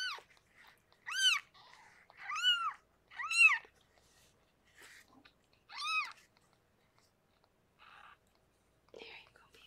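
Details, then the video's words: Rescued pregnant foster cat Harlequin giving birth to six kittens indoors; high, arched mews rise and fall in quick succession, four clear calls in the first half, then fainter soft sounds and rustling. "Rescued pregnant Kitty Harlequin gives birth to 6 kittens!"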